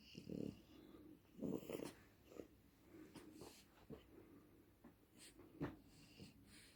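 A French Bulldog snores in loud, rasping bursts with wheezy snorts between them.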